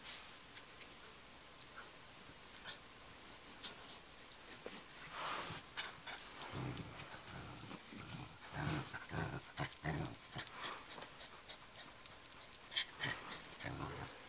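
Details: Honey, a female pet dog, playing tug with a pull toy and growling a lot; after a quiet start, rough, noisy growl bursts come in short runs from the middle onward, mixed with toy rattling and scuffling.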